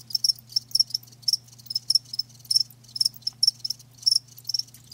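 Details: Live crickets producing clear, separated shrill chirps, each a quick pulsed burst, roughly two to three per second, over a quiet low hum.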